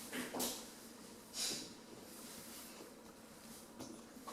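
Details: Sleeping 10-week-old female Rottweiler puppy named Bambi, snoring with breathy, hissing bursts about once a second. The bursts are soft and airy, and the room is otherwise quiet.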